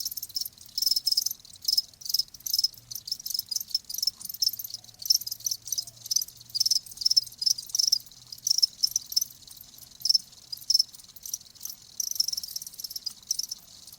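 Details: Crickets, offered as calming nature sound for tinnitus and sleep: loud, shrill, high chirping trills in irregular bursts from several insects, with a faint low hum in the middle section.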